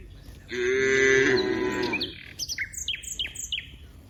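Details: One cow from a herd of dozens in a wide rice field gives a loud, level, one-and-a-half-second moo, followed by a series of rapid, high, down-slurred bird chirps repeated several times a second.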